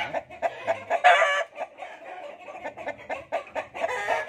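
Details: Fighting cocks: dense, rapid clucking pulses with a louder, harsh, strained burst around the first second, then steady choppy clucks throughout.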